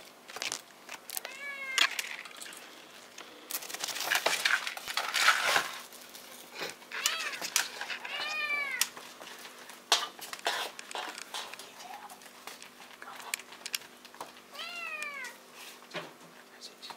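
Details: Bengal kittens, silver spotted and marbled, recorded 19.12.14, giving high, arched meows with clear harmonics. The mews come in small clusters, some rising then falling, with rustling and clattering noises between them indoors.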